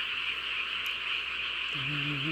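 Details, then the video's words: Night-time chorus of frogs in the countryside of a home village. The calls make a constant high-pitched trilling hum. Near the end a low, steady tonal hum, like a voice or engine, enters beneath it. "개구리들 합창을 들어보세요"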